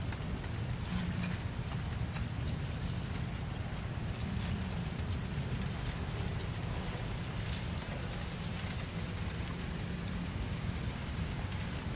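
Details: A deep continuous rumble, like an engine or heavy water, runs under light rain noise, with no animal voice.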